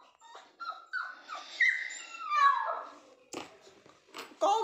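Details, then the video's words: Toy Pomeranian crying for its owner: high, thin whimpers and whines sliding up and down, several short cries, with clicks and a brief louder burst near the end. "naughty toy pom 😍 is crying for mom"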